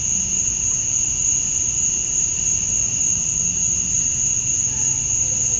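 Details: Male cicadas at dusk on a summer night in Georgia, USA, singing to attract females: a steady, unbroken high-pitched whine with a fainter lower band beneath, holding level throughout with no pauses.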